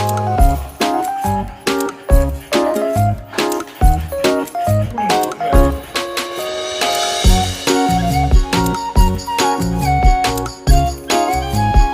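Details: Upbeat music with a steady beat and melodic notes, plus jingling and clinking like keys, faint speech underneath.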